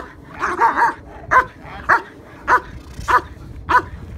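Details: German Shepherd Yukon vom Patiala barking during Schutzhund IPO trial prep, protection work against a decoy, Bay Area K-9 Training. Sharp, loud barks, a quick double burst first, then single barks roughly every 0.6 seconds.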